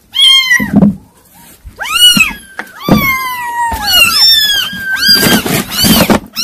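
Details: Loud, bright mews from a group of kittens, each call arching up and sliding down, crowding on top of one another with almost no pause between them.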